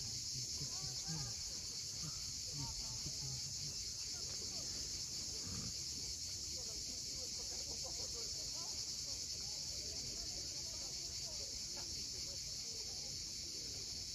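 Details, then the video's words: Crimean coastal cicadas at sunset near Cape Fiolent produce a steady high, hissing buzz that never breaks. Faint low crackles and rumble sit underneath. "Cicadas at sunset."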